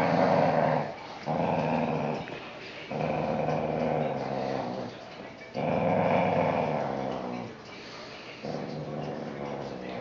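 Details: Whippet producing long, sustained rough growls indoors, each lasting one to two seconds with brief breaths between, five or six bouts in a row, some louder and harsher than others.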